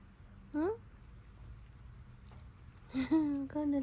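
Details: Ten, a pet cat just stepped on by the dog Momo, lets out a short rising meow, then after a quiet gap two longer, wavering meows in close succession, with soft female speech nearby in a small room.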